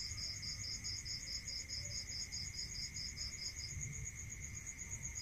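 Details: Rural night chorus of crickets: a fast series of bright pulsed chirps running nearly four seconds then ceasing, backed by an unbroken high-pitched trill and a constant lower whine, low ambient noise underneath.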